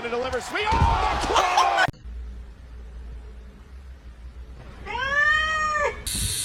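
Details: Domestic cat meowing: after two seconds of laughing human speech and a quiet pause comes one clear, arching, tonal meow with rich harmonics, rising then falling over about a second and a half.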